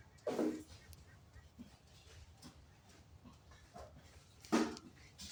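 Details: Improved-breed goats on a household farm give two short, harsh bleats, one at the start and another about four seconds later, with soft voices and farmyard murmur between them.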